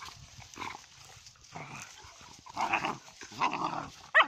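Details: Play-fighting puppies trade low grumbling growls and brief yaps in separate bursts, ending on a sharp high yelp.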